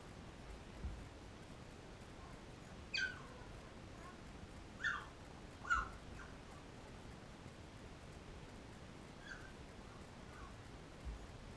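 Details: Thirteen-day-old Labrador Retriever puppies suckling from their mother Cecilia give short thin squeaks, about four of them spaced a second or two apart, with faint softer whines between, against constant low hiss.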